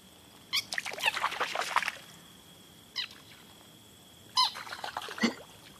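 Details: Green frogs give sharp, squeaky startle calls as they are approached, scared, and leap into the water to get away.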